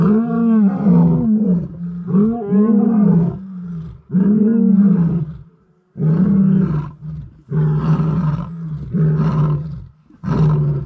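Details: A lion pride vocalizes together at dusk in the Timbavati near Kruger, after lionesses abandoned stalking buffalo, giving deep, resonant, overlapping roars that swell and fade in repeated waves with brief pauses; males possibly approaching.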